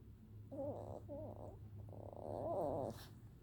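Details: A puppy greeted good morning answers with baby sounds: short wobbly whimpers rising and falling, three brief bursts followed by a longer quavering whine, over a steady low hum.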